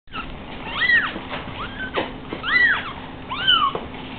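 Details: Five spotted three-week-old Savannah kittens on a couch, wanting to get down and wander but unable to jump yet, giving overlapping high, arching mews that rise and fall, several per second in bursts, with soft rustling.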